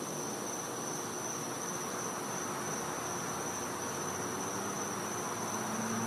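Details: A steady, high-pitched cicada drone carries on without a break over a soft night hiss, in a Florida home's back yard at night in winter.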